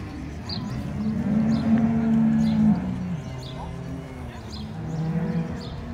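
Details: Brown Swiss cattle at the Appenzell cattle show marking a 100-year jubilee in 2022, a low droning moo held for over a second amid crowd chatter and scattered clinks.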